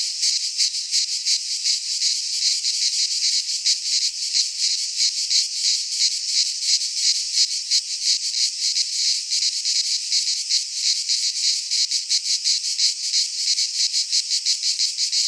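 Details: Greek pine-forest cicadas in midsummer keep up an unbroken, piercing high buzz for fifteen seconds, finely and rapidly pulsed like a rattling hiss, steady in loudness.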